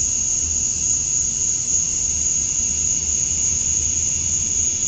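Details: Male cicadas at dusk on a summer night in Georgia, USA, chirping to attract females. Steady piercing high buzz without pauses, a second lower buzzing band below it, and a gentle low hum in the background.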